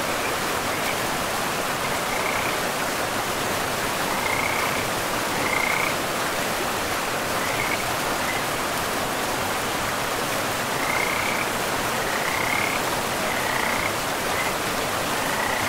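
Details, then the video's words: Frogs calling in a pristine forest beside a river, short trilled notes near the upper-middle pitch recurring every second or two over a steady rushing of flowing water. "River and Frogs sleep sounds"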